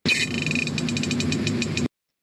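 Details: A Pacific herring, a fish of cold northern waters, farts underwater by releasing gas, making a quick series of high, crackling ticks.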